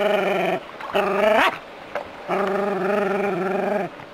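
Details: City-dwelling Jack Russell terrier facing a rat snake gives long, strained, howling barks, one rising sharply before cutting off, then a sustained wavering cry lasting over a second, with brief quiet breaths between.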